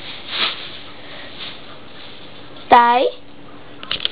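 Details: Blue and white whippet puppy, female, eight weeks old, indoors: a single loud, squeaky yelp lasting about a third of a second after a quiet stretch, then brief handling noise.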